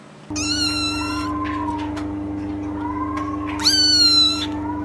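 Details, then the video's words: Domestic cat meowing twice, long harmonic-rich calls near the start and end, over a steady low hum. "Vidio kucing mengeong lucu"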